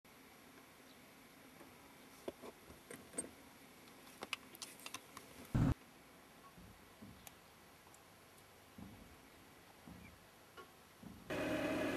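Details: Only scattered clicks, handling bumps, a heavy thud and a closing burst of hiss are heard, with no animal voice.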